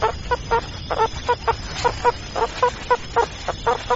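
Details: Meerkat calls: quick clucking chirps repeated in an uneven run, some paired closely, over a low steady hum.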